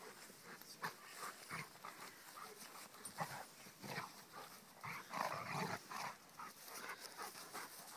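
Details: Rhodesian Ridgeback Kheelo playing with his friend Triton: rough, breathy growling and grumbling in short uneven bursts about every half second to a second, with panting between them.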